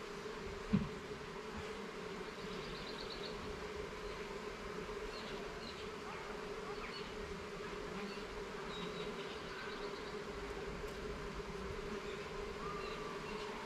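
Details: Garden beehive opened for inspection, its honey bees producing a continuous even drone. A sharp knock sounds early on, and faint scattered higher buzzes drift over the steady hum.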